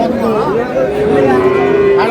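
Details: Cows and calves of an improved dairy breed at Ambari market, Dinajpur, on 17/4/26. Over busy human voices, a wavering lowing rises, then settles into a sustained, level moo that carries for more than a second.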